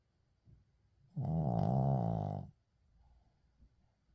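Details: Shih Tzu named Uijung asleep indoors: a single loud, gravelly snore of over a second, with soft, low breathing before and after it.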